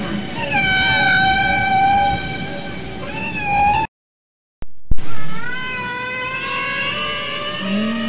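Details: Male humpback whale singing, probably to attract females. Drawn-out, many-toned wailing notes waver and bend, then break off for a brief silent gap before fresh rising, sliding cries resume over a deep rumbling background.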